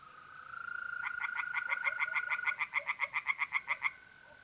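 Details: At night in mid-April in north-east Italy, a mole cricket's smooth steady trill is joined by a tree frog in the pond. The frog gives a long run of about fourteen loud, rasping pulses, quickening slightly before ending.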